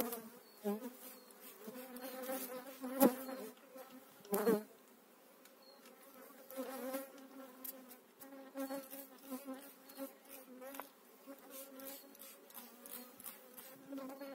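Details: Spring hive transfer, 2018: honey bees hum continuously around the opened hive, a low droning buzz that swells and fades as individual bees pass, with two loud clunks early on and frequent small clicks.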